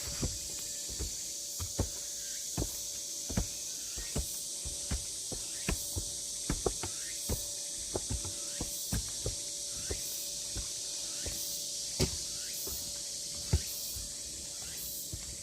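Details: Cicadas singing on Deogeumsan Solbaram-gil trail, Namwon, South Korea, 16 August 2019: a steady high-pitched shrill drone, with louder surging pulses about every three-quarters of a second, over crunching footsteps along the path.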